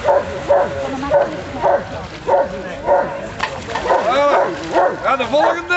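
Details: Roxy, a Rottweiler at the waterworks, barks in short repeated bursts about every half second, mixed with a man's voice talking over the barking.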